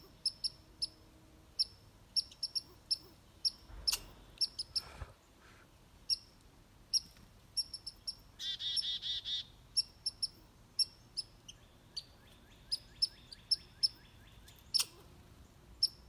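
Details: Red squirrel driving away a grey squirrel, giving high, sharp squeaky chips in bursts, broken midway by a brief buzzy rattling chatter, then more rapid chips; a few low thumps are heard early on.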